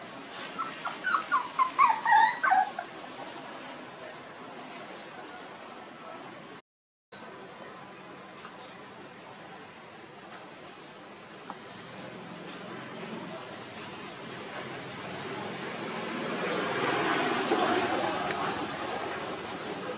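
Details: Homeless puppies whimpering: a quick run of short, high, thin whimpers repeated rapidly for about two and a half seconds, then only a steady background hiss with a brief gap and a slowly swelling rustle.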